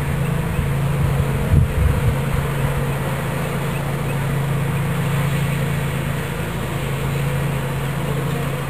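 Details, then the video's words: Bees from a swarm filling a new hive body in Watkinsville, Georgia, give a continuous deep buzzing drone, with a brief louder thump and rustle near the second mark before the hum settles again. "Bee Swarm Capture"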